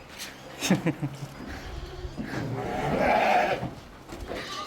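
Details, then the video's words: Big Nellore sheep on a farm in Chittoor district bleat in wavering, nasal cries, the whole flock calling out as soon as one sheep is pulled out and led away. "ஒரு ஆடை வெளிய இழுத்துட்டு போன உடனே எல்லா ஆடும் கத்துது"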